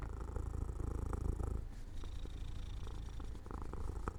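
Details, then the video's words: Cat dozing off near an open window in sunshine, purring with a deep, even throb of rapid low pulses, fading slightly after the opening seconds while staying steady. "My Cat Makes Sounds"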